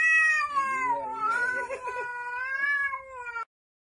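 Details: Domestic cat's long, loud meow lasting over three seconds, rich and nasal, dipping then holding a steady, slightly rising tone before stopping abruptly.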